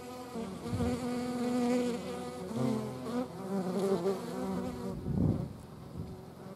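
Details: Hornets buzzing at moderate distance, a throbbing hum whose pitch wobbles as the fliers move, ending with a short rustle and a quieter tail.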